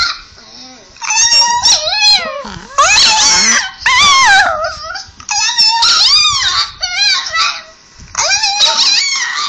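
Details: Chihuahua dog indoors responding to a playback of his own talking, 'i love you' sounding howls; a run of loud, warbling yowls that swoop up and down in pitch, broken by brief gaps, some whimpering.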